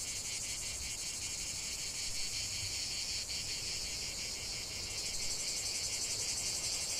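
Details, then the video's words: Chorus of cicadas in the heart of a lavender field, a steady high-pitched rasping drone pulsed several times a second, unbroken from start to end, with soft background noise below. "chant de CIGALES au cœur d'un champ de lavande"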